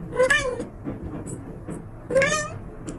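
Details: Pet cat producing two clear, nasal meows about two seconds apart, each bending upward then down, with faint rustling and soft background noise between them.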